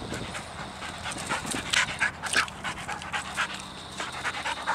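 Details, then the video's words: Dog named Sadie worked up and jumping about for a squirrel she cannot see; fast, uneven huffing pants close to the microphone, with a couple of brief whimpering squeaks between breaths. "Sadie Gets Excited and Jumpy for an Unseen Squirrel"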